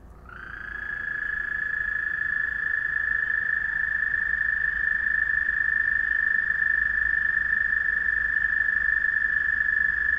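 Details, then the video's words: Frogs calling one another at night: a single steady, high, rapidly pulsed trill starts about half a second in and holds unbroken at even pitch for the rest of the ten seconds, with faint low background rumble. "Frog Trilling"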